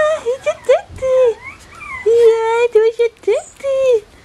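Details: Bichon Frisé puppies from litters O and P at Vejles Lille Kennel, giving short high whines that bend up and down, then two longer steady whimpers separated by brief yips.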